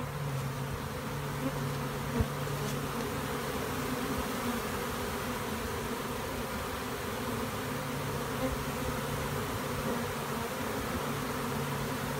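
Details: A giant western honey bee swarm in a tree, returning to its original hive on April 30, makes a steady, dense, low buzzing hum from many wings at once.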